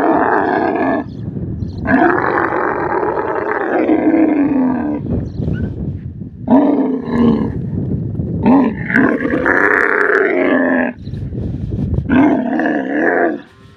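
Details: Desert camel calling with loud, harsh, roaring bellows in drawn-out bursts of one to two seconds, rising and falling in pitch, separated by short pauses.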